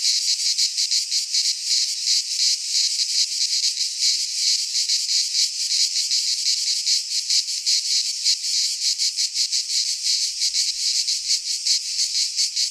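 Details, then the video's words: Midsummer chorus of cicadas in a pine forest in Greece, a continuous shrill rasping drone that throbs rapidly and steadily throughout, bright and high, with no birds or voices heard. "Cicadas singing in midsummer - Nature sounds from the Greek fauna - Sounds of cicadas"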